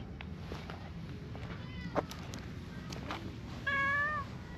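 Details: Tabby-and-white stray cat at a park pond's edge, heading toward a place to be stroked, lets out a single clear meow near the end that bends slightly downward, after quiet outdoor ambience with a few soft clicks.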